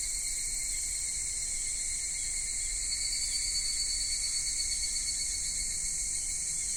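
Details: Cicadas in a Japanese summer at Michinoku Folk Village and Kitakami Tenshochi, Kitakami, with minmin-zemi by day and higurashi at dusk: a steady, dense high-pitched whirring drone in several layered bands, unbroken throughout, over faint low background rumble.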